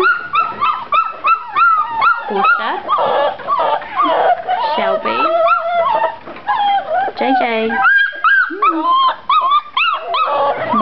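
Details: Seven-week-old puppies in their indoor pen whimper and yip. High, wavering whines overlap almost constantly, with bursts of excited yelps. A person talks and calls to them throughout.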